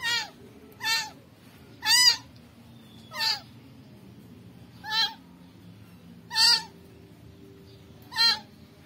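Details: Rescued kitten meowing, seven short high harmonic cries spaced about one to one and a half seconds apart, each with a slight down-curving pitch, over a low steady background hum.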